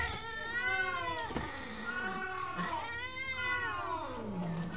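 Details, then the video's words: Cat about to mate, giving long, drawn-out wailing caterwauls that rise and fall in pitch, two main howls with a lower moaning tail at the end. "Proses Kucing Mau Kawin"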